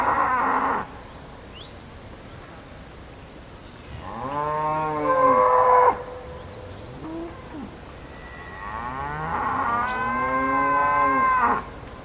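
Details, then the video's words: Cow mooing three times: a short call at the start, then two long, loud harmonic moos near five and ten seconds, each swelling and bending in pitch, with faint chirps in the background. "Cow Sound"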